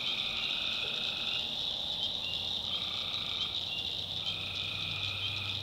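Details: North Carolina swamp at night with tree frogs giving sustained buzzy notes, each about a second, alternating with short pauses, over dense high insect trilling and a faint low hum.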